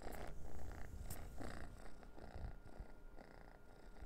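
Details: Orange house cat Noah purrs as he plays with a dried minnow cat treat; a continuous low rumble runs under bursts of crinkly scraping and rustling.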